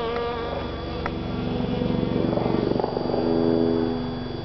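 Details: Pollen-collecting honey bee at a calla (Zantedeschia) inflorescence. A loud, close, low droning buzz with rich overtones pulses slightly and swells in the middle.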